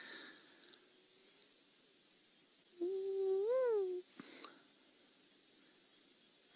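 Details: In the Mara Triangle on 22 September 2016, as dusk turns to a quiet night, a hyena gives one long, tonal hooting call that swells upward and falls away, with hippos grunting, crickets and frogs nearby.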